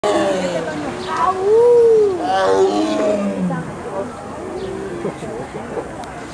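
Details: Amur tiger at Lincoln Park Zoo in Chicago, Illinois, recorded on June 2, 2012; a series of low, moaning, arched calls with harmonics over the first three seconds, then quieter background sounds and people.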